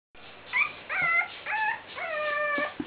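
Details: Bull terrier puppies of one litter kept together in a pen give overlapping whines and yelps: thin, tonal cries that rise and bend in pitch, several drawn out, coming in short bursts over about three seconds.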